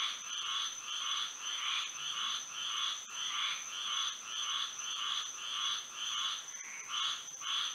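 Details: Florida frogs singing on a moonlit night; rhythmic nasal croaking pulses repeat steadily near a hundred times a minute, many voices blending, with a persistent high steady tone behind.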